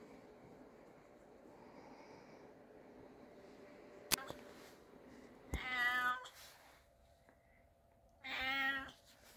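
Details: Calico cat at home indoors, two short harmonic meows about three seconds apart, the first near 5.5 seconds and the second near 8.5 seconds, with a sharp click before them and quiet room hum throughout.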